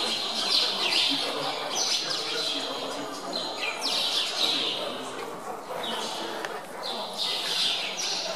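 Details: Feeding time for hungry meerkats at Zoo Augsburg, fed chicks and chasing each other for them; bursts of high, rasping squeals and chirps come in overlapping waves, dropping briefly before rising again.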